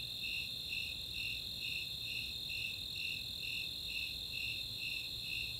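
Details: Summer night in the Chautauqua open space of Boulder, Colorado, with Snowy and Four-spotted Tree Crickets: a dense high trill underlies steady, even chirps pulsing about twice per second, eleven or so in total.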